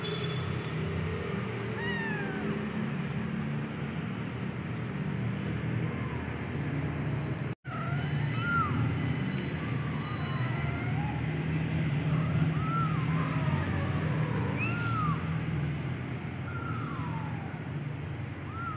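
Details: Persian kitten of the medium type meowing repeatedly, about a dozen short arched cries rising then dropping, some quick and squeaky, over steady low droning background hum with a brief cut near the middle.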